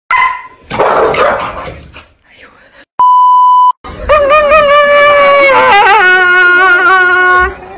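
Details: Dog crying: a long, wavering, tonal whine with rich stacked harmonics that dips and rises over about four seconds. It follows a burst of noisy voice-like sound and a short, steady electronic beep.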